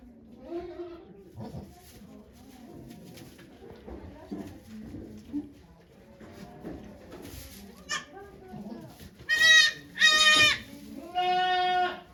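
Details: Goat named Okayu at Yoshigake farm in Japan on 3 May 2023, giving birth to two kids while volunteers watch; three loud harmonic bleats near the end after quiet murmured talk among people.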